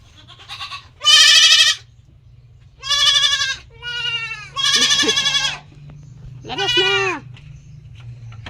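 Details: Kept goats bleating: five loud, wavering, nasal bleats, each about half a second to a second long, spaced irregularly over several seconds, over a low steady hum in the background.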